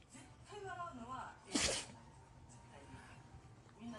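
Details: Sneezing fit of Koron, a toy poodle, apparently set off by pepper sprinkled on ramen; one sharp burst sneeze midway, surrounded by indoor human chatter.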